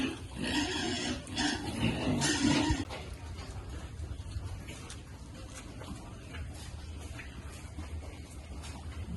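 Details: Piglets at feeding time give a burst of loud, harsh squeals and grunts that overlap for about three seconds, then fall away to a low steady hum with faint scattered noises.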